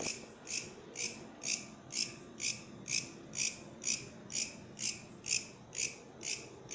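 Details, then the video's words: Katydid, or bush cricket, singing: a steady series of short, buzzy, high-pitched chirps, about two each second and evenly spaced, over a quiet low background hum. "Katydid, bush criket singing"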